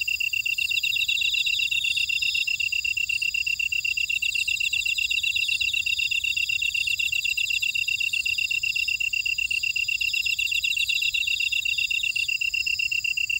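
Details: Grassland insects chirring in a buckwheat field at Ora-dong, Jeju City, on volcanic Jeju Island, South Korea: a steady high pulsed trill near one pitch, overlaid by faster rasping buzzes and shimmering higher bands, continuous throughout.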